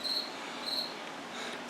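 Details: Cricket in a washroom giving two brief, high-pitched chirps about half a second apart against a constant indoor background hum.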